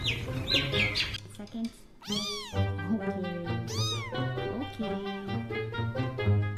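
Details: Cats and kittens meowing: a few high thin squeaks, then repeated arching meows that rise and fall, roughly one per second, set against background music.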